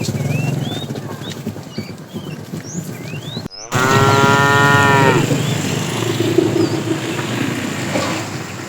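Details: Herded tame cows in the afternoon, a fat animal calling to the female; after a brief cut, a strong harmonic moo lasting about a second and a half, then quieter lowing, with bird chirps and steady outdoor noise.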